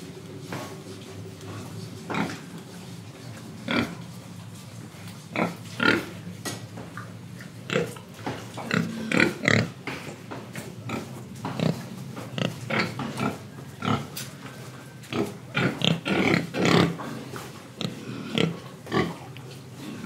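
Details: Pig in Indonesia eating and breathing: steady series of short clicky grunts and chewing-like snaps over a low continuous hum, repeating irregularly about once a second for twenty seconds.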